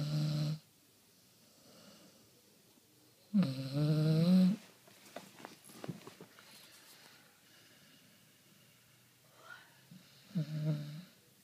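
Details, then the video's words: Leo the dog snoring: three loud, rough, low rasping snores, each under a second or so long, separated by long quiet gaps with faint rustles and clicks in between. "Пес храпит"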